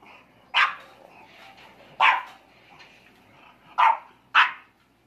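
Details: English Bulldog puppies, four months old, play-fighting, giving four sharp, bursting barks over quiet background: two widely spaced barks, then a quick pair close together near the end.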